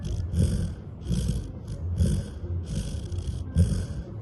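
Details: A male Labrador Retriever in deep sleep snores in deep, rumbling breaths, each rasp returning every second or so.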